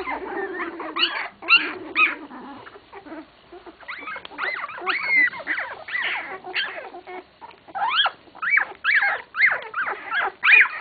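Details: 16-day-old English Cocker Spaniel puppies give high, squeaky whimpers and whines in quick overlapping bursts.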